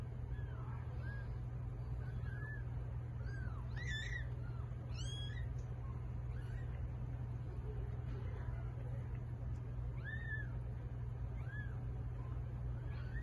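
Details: Domestic cat giving birth to eight kittens: faint, high thin mews rise and fall in short arcs, scattered irregularly through the recording, over a steady low hum.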